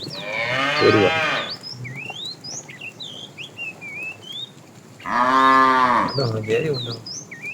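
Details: Tame cattle being herded in the afternoon, a fat cow calling the female: two loud, harmonic moos about four seconds apart, each roughly a second long, with bright chirping birds throughout.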